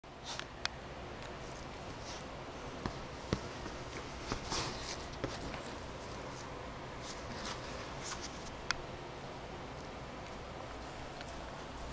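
Quiet indoor room noise with soft scratching and a few sharp clicks; no clear animal voice.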